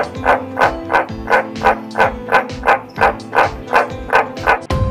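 White's tree frog gives a deep, barking croak about three times a second over background music.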